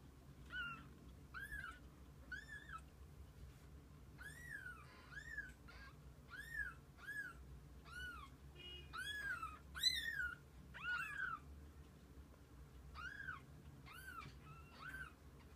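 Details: Kittens spending the day with their mother cat give a steady series of short, high, arched mews, about one each second, some louder and overlapping near the middle, over a low background hum.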